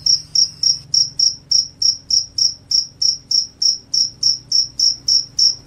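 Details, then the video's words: Cricket, said to repel rats and make listeners sleepy, giving loud, high, clear chirps repeated steadily about three to four times a second, each pulse short and sharp, over a quiet background. "SUARA JANGKRIK PENGUSIR TIKUS, JANGKRIK JANGKRIK SUARA NYARING BIKIN NGANTUK."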